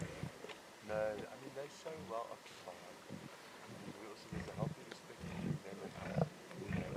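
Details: Lion cubs feeding at a zebra carcass in the Timbavati, growling and snarling in rough, low bursts with harmonic snarls near one second, mixed with chewing sounds and faint human voices.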